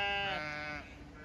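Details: Chatty Zwartbles ewes in a County Kilkenny, Ireland field, calling as their grazing area is checked in autumn; one strong nasal bleat lasting under a second, then fading to quiet field ambience.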